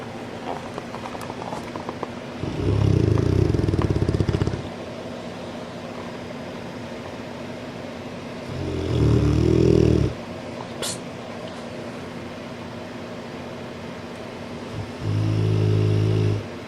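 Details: Sleeping French Mastiff that will not wake up gives deep, gravelly snores, three rough rumbling breaths lasting one to two seconds each, separated by quiet gaps of about five seconds over a faint steady background drone.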